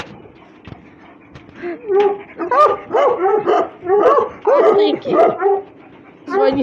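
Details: Russian Hound among several dogs playing and fighting, giving a quick run of high, bending whimpering yelps, about a dozen packed into four seconds after a quiet start, with faint human voices underneath.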